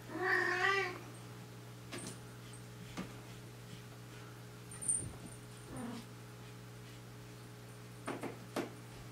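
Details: House cat indoors in a ten-cat household: a single short, strained meow at the start, followed by near silence broken only by soft clicks and light knocks.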